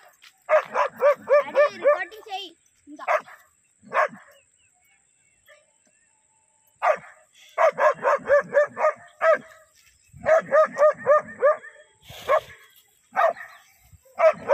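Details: German Shepherd in attack training, barking hard in fast bursts of four or five harmonic barks a second, broken by short pauses, with a person's voice heard at times.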